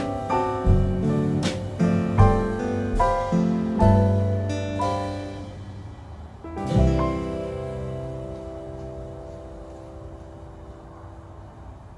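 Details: Soft piano music with struck chords that slowly fade out, and no animal heard.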